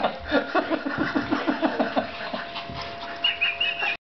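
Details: Blind German Shepherd puppy playing with a Shih-Tzu; rapid rhythmic panting breaths about four per second, dense and noisy, with a brief high squeak near the end.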